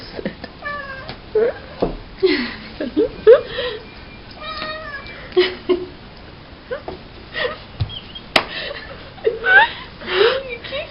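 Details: Pet cat tickled with a green toy dog while rolling on her back on the ground, giving short, rising and falling meows and chirps scattered through the clip, over a person's talking and rustling.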